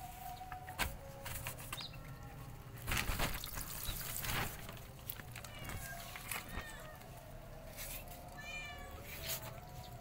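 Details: Five hungry kittens beside their white mother cat mew repeatedly in bright, harmonic-rich calls, several in quick succession toward the end, mixed with rustling, clattering bursts and a constant low hum.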